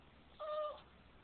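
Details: A single thin, steady whine lasting under half a second from a Boston Terrier that does not like being kissed, in quiet indoor surroundings.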